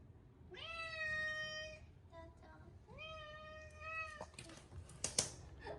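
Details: Bathed for the first time in a year on a hot day, short-legged Munchkin Chacha gives two drawn-out, rising-then-level meows about two seconds apart, then water splashing and clatter.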